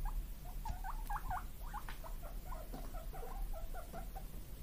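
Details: Two pet guinea pig brothers, born 31 March 2022, call eagerly for vegetable treats: a rapid run of short, squeaky, wavering 'puipui' notes, rising and falling, packed into a steady chatter over low household rumble.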